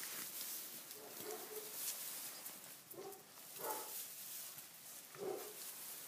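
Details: Tibetan Mastiff puppies, six weeks old, romp in a stable on their first visit while it is wet outdoors. Short, mid-pitched yelps and barks sound four times, a second or so apart, against a hissy background of shuffling.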